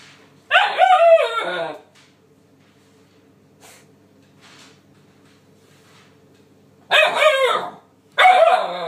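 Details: A 9-week-old male Alaskan Malamute puppy gives bursts of wavering, harmonic yowls, telling off cleaning appliances he dislikes.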